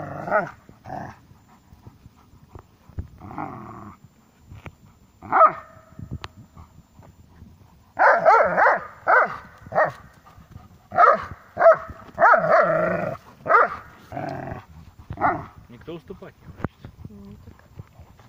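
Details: Dobermanns playing tug-of-war give rough, growly barks in irregular bursts, clustered densely through the second half.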